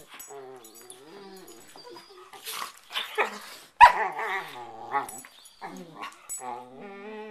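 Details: Two dogs playfighting on a bed at night in a prey-predator ritual before settling to sleep: long quavering whines and rising-falling growls, a sudden loud snarl midway, then more whining.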